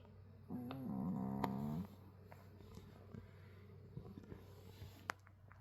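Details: Pet dog snoring like a person indoors: a drawn-out, droning snore lasting over a second with a wavering tone, then quiet breathing with faint clicks and a steady low hum.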